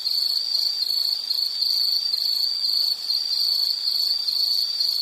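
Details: High, even insect trilling fills the whole stretch, a constant shrill drone made of rapid pulses with a faint ringing overtone, one small dip near the third second.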